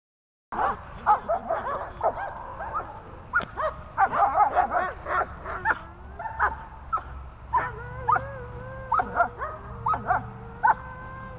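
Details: A German Shepherd at protection training in Donetsk botanical garden on 21 November 2020 gives rapid, excited barks mixed with high, sliding whines while being urged on by its handler.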